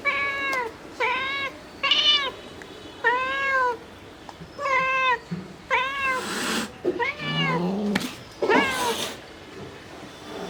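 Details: Mother domestic cat calling her kittens: a quick run of repeated arched meows, nine or so in ten seconds, the later ones harsher and louder with noisy bursts and brief rustling.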